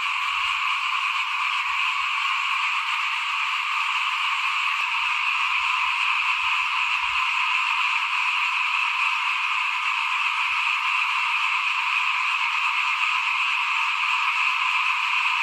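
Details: Many small frogs calling together outside a house at rice sowing time, 2021, forming a continuous buzzy, ringing drone that holds level throughout, with a faint click near the middle.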